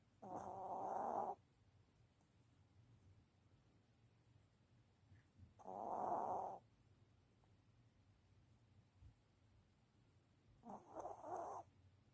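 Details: Three rhythmic snores, about five seconds apart, come from a Maltese dog asleep. Each is a soft, buzzy breath lasting around a second, in a hushed indoor setting.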